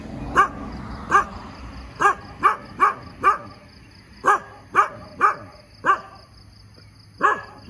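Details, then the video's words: Morning barking from a dog, roughly a dozen short punchy barks, some singly and some in quick pairs or triples, with brief pauses between groups and a thin constant high tone behind. "เสียงหมาเห่าตอนเช้า เห่าเก่งมาก"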